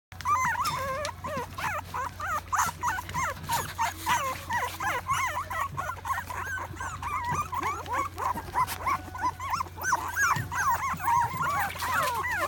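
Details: Two poodle-mix dogs, a blue merle and a silver blue, filmed in Japan on 14 September 2018, whimper and whine continuously in a dense stream of wavering, high nasal squeals that overlap rapidly over a steady low hum.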